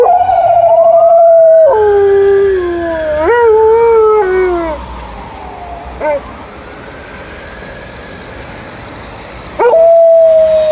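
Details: A female Alaskan Malamute howls along to an ambulance siren while watching pigeons: long, wavering howls sliding downward over a few seconds, between bursts of the steady, loud siren.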